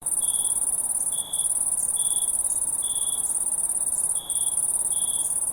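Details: Crickets at night: short, clear chirps pulse roughly once a second over a steady, shrill high-pitched trill that runs almost unbroken through the recording.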